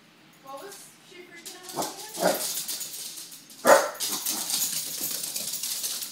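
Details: Pixel, a Pembroke Welsh Corgi frightened by balloons, gives short whimpering whines with tonal harmonics early on, then sharp broadband yelps or barks near two and four seconds, with a person speaking and rustling noise throughout.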